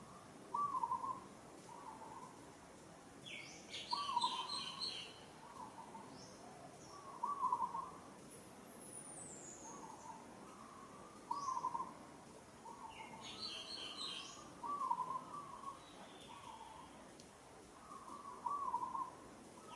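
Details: Female monkey Moka calling while struggling as another monkey, Sada, handles her roughly, Kampong Cham Province, Cambodia: short wavering tonal cries repeated about every second or two, with high bird chirps in the background.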